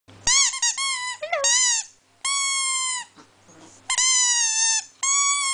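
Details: A pet Chihuahua singing indoors, giving drawn-out high whining howls, some steady and some bending downward, in bursts of about one second separated by short pauses.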